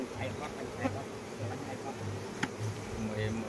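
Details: Honey bees at a Khmer honey farm during the Kor flower season, a low droning hum rising and fading in short bursts, with scattered clicks and a sharp tap near the end.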